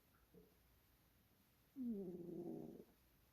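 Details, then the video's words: A sleeping cat snoring: one drawn-out, low rasping breath lasting about a second, with a fainter short snort just before it in a quiet room. "snoring cat"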